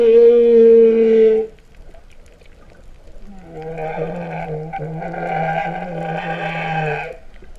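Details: Underwater humpback whale song from Vava'u, Tonga, September 2015, said to sound like a lowing cow: a loud, pure sustained note, a brief silence, then a long buzzy, heavily layered groan running about four seconds.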